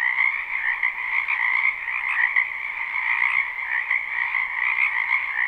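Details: Frogs croaking together in a wetland during spring, live recording: a thick, even chorus of many callers, rapid trilled notes blending into a constant hum of croaks.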